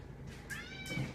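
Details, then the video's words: Pet cat vocalising to its owners inside a home: a clear, drawn-out meow, slightly rising and then level, ending in a soft low rumble. "Cat's Talking to Their Humans..."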